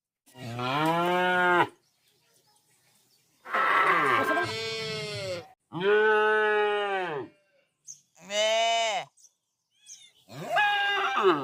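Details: A cow in a village moos repeatedly, long harmonic bellows with brief pauses between them.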